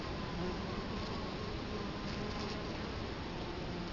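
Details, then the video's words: Italian honey bees at the hive entrance in Colorado Springs, October 2011, with the recorder placed right in front of the hive; a dense, steady low hum of many wings fills the whole stretch without pause. "Bee hive Entrance"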